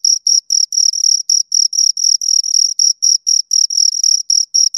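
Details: Shrill cricket chirps from two crickets come in a rapid, nearly regular series, roughly four short scraping pulses per second, steady in loudness throughout, nothing else audible.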